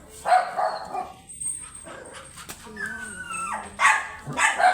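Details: Teacup chocolate Pomeranian dog offered for stud service at Pugaro, Manaoag, Pangasinan; sharp yapping barks open and close the moment, with a drawn, falling whine between them and faint human voices behind.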